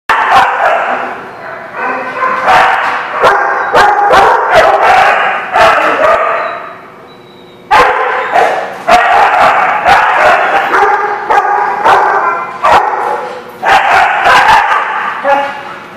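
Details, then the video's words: Many dogs barking together, recorded 5/4/19: a dense, loud chorus of overlapping sharp barks and yips in three long bursts, with a brief quieter lull near the middle. "The Barking Lot"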